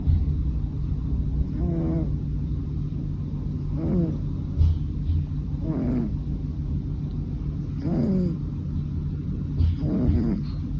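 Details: Fukuchan, a three-year-old male American Shorthair cat, snoring on 7 October 2023: soft, raspy breaths with a faint tonal edge recur about every two seconds over a steady low rumble of background hum.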